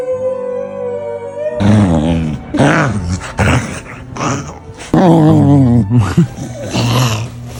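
A corgi makes drawn-out, wavering grumbling howls over steady background music.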